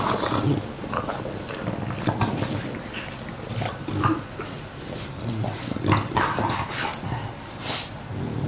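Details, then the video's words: Two young English Bulldogs, one aged one year 89 days and the other one year 5 days, recorded indoors on 19 September 2015, giving low rumbling growls and snuffling snorts in uneven bursts, with a few sharper broadband huffs. "英國鬥牛犬 English Bulldog"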